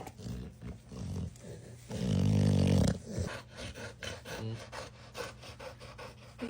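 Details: Relaxed female pet dog indoors, being petted and making silly noises: a loud, low, drawn-out groaning grumble lasting about a second, surrounded by softer snuffles, huffs and breathy grunts.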